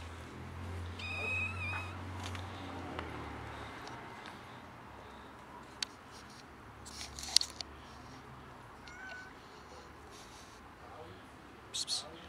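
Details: One of two cats, one tamed from kittenhood, thanking its feeder for food: a short, thin, high meow near the start over a low rumbling hum, then scattered clicks and handling noises.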